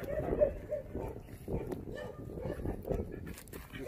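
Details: Jindo dog in Korea giving a run of short, mid-pitched barks, about two to three per second, with men talking in Korean in the background.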